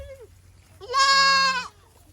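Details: Boer goat kept on a village farm in Nepal lets out one long, steady, strained bleat lasting under a second, preceded by a faint short cry, with little background noise.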